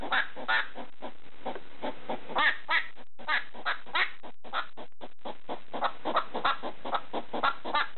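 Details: ['Hedgehog kept as a pet, making barking noises toward a slipper late at night; dense, gravelly, clicking bursts at an uneven pace, broken by two brief silent gaps.']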